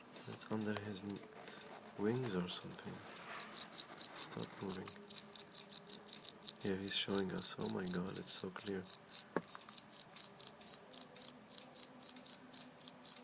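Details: A live cricket caught and then let go, chirping: brief soft voices and rustling at first, then loud, high, evenly spaced chirps pour out rapidly, several each second, continuing to the end.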